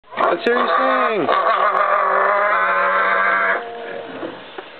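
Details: Pot-bellied pig singing away, with a young child nearby: one long, steady, tonal moan held for about three seconds after a short bent opening note, rich in stacked harmonics, then fading into faint background sounds.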